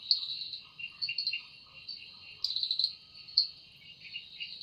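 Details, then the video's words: Forest cicada at evening, the sound described as made by its wings: an unbroken piercing buzz that wavers in loudness, with a few stronger crackling bursts and faint lower chirps in the background. "Woundering voice of Cicada"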